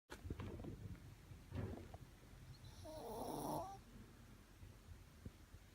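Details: Shih Tzu snoring: low rumbling breaths with a short snort near the start and another after a second and a half, then a longer, louder rasping snore with a nasal, tonal edge around three seconds, before settling back to quiet breathing.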